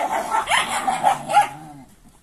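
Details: Young Sarplaninac puppies wrestling and chasing at playtime yap in a rapid burst of short, bright barks and squeaky yips, trailing off after about a second and a half to near silence.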